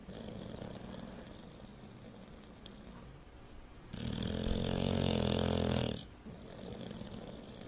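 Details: Bulldog asleep and snoring, with soft, rumbling breaths building into one loud, drawn-out, gravelly snore lasting about two seconds, then easing back to quieter breathing.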